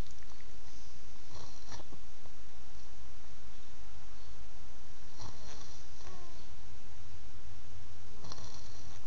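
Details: Beagle snoring, captured on an Android phone: a steady deep rumble with breathy, broadband snorts bursting out roughly every three to four seconds.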